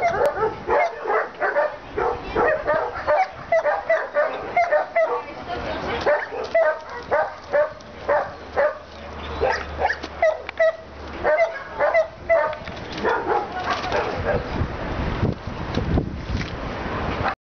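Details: Senior Labrador Retriever in an animal shelter giving runs of rapid, repeated barks, some higher yipping notes between them, steady bursts for most of the recording with a faint low hum in the middle.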